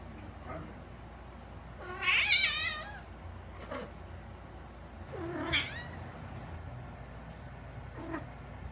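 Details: Cat howling, possibly outdoors among stray or feral cats: a loud wavering yowl around two seconds in, a second shorter rising wail later, and fainter meows between over a low background hum.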